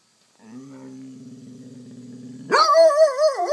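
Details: Basset hound named McNabb begging for treats: a low steady groan for two seconds, then a sudden loud wavering howl-like bay with rich harmonics.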